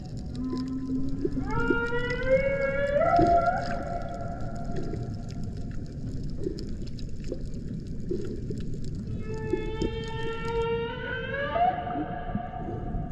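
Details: Humpback whales in the Banco de la Plata sanctuary, about 120 km northeast of Puerto Plata, Dominican Republic: long tonal moans with stacked harmonics, slowly rising in steps, a second rising phrase near the end, over constant low underwater rumble.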